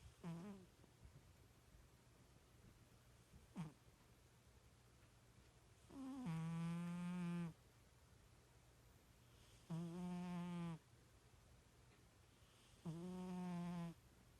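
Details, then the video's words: Sleeping pet cat snoring indoors, said to snore like a little pig: low, humming tonal snores of about a second or more, rising slightly at the start, repeating every three to four seconds with quiet breaths between. "My Snoring Cat!"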